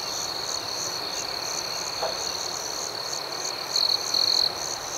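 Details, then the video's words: Crickets at night outdoors: a steady high, shimmering buzz with soft pulsing above it, and a brief louder trill near the end. "Soothing Cricket Sounds"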